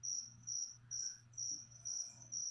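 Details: Indoor feeder crickets meant for a leopard gecko sing clean, high chirps in regular bursts roughly every half second, with a faint low hum beneath.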